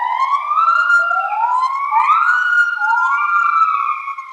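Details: Bornean white-bearded gibbons singing, apparently two females duetting with another individual joining at the end, in long, overlapping whistled notes that swoop upward and hold, siren-like.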